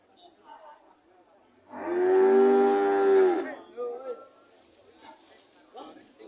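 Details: Cow giving one long, loud moo of nearly two seconds, steady and harmonic-rich with a slight fall at the end, followed by softer, shorter lowing and faint background murmur.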